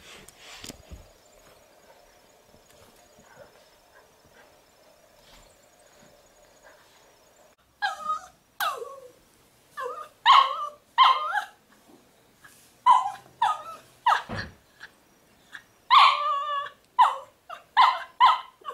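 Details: Miniature poodles at home, black puppy Hugo born April 2013 newly joining apricot Sydney, recorded June 2013: after seven quiet seconds comes a burst of sharp, high yaps and yips, about a dozen uneven barks in quick succession.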